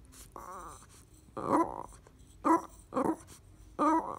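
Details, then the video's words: Lola, a Boston Terrier, grunts when she doesn't get what she wants: nasal, throaty vocal grunts with a low tonal buzz, five bursts in about four seconds, some rising and falling, in a quiet indoor room. "Boston Terrier Lola grunts"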